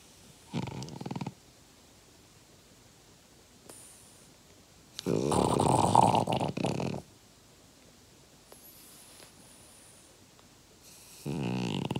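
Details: French Bulldog aged five, resting indoors, gives three loud rasping snore breaths spaced several seconds apart, each rough and noisy, with near silence and faint room sounds in between.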